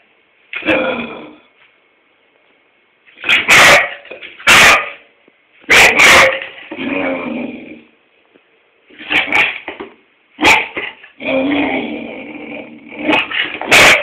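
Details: Tobi, a springer spaniel, barks at its owner for no apparent reason indoors: loud sharp barks in bursts every second or two, mixed with whining yips and short gaps of silence.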